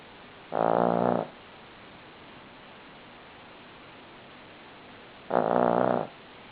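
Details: Snoring from a sleeping Cavalier King Charles Spaniel: a pair of strong, droning, throaty snores, each lasting about half a second and nearly five seconds apart, over quiet steady hiss.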